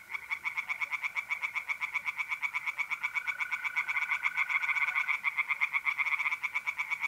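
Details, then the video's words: April night at a pond in North-East Italy: tree frogs croak in a fast continuous rattle, roughly four pulses a second, with more than one caller overlapping and mole crickets trilling steadily beneath. "relaxing singing tree frogs in pond and trilling mole crickets by night"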